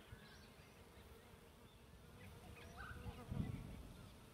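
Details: Bees droning around a bee tree during a three-day camping trip, a thick low hum swelling toward the end, with a faint thin bird note partway through.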